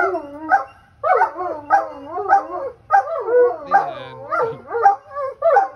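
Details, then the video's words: Irish Wolfhound named Fergus "talking": a loud series of about ten moaning, howl-like yowls, each rising then falling, rhythmic roughly every half second, with a brief low grumble in the middle. "Irish Wolfhound Talks"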